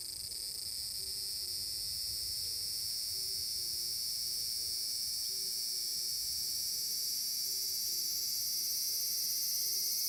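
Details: A large brown cicada drones on Tanegashima at Furuta Magarikawa, Nishinoomote, on a summer day, 30 July 2022. The shrill, even buzz grows slightly louder, while a quiet low note repeats about every second behind it.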